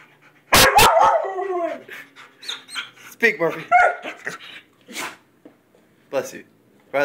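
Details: A Weimaraner and a Vizsla (Canis familiaris) give sharp, loud barks and higher whining yelps as a person repeatedly commands "speak".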